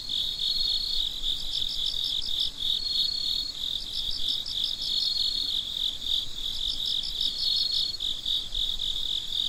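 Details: Crickets at midnight keep up a relentless high trill, with rhythmic pulse clusters and occasional brief pure whistling tones over a quiet background.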